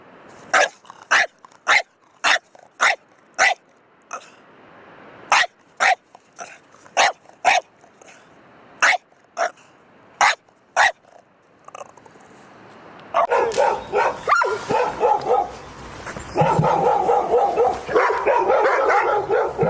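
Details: Pet dog barking repeatedly: a long series of short, sharp barks about twice a second for ten seconds, with brief gaps, then a loud, dense stretch of broadband noise and bark-like bursts.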